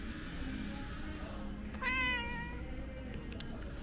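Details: Calico cat meowing for snacks: a single clear harmonic meow lasting about three quarters of a second, steady then slightly falling, over low background hum.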